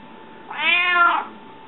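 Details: Domestic cat, described as hungry, gives a loud indoor meow of about seven-tenths of a second, arching up in pitch and then sliding down, clear harmonics over a quiet background hum.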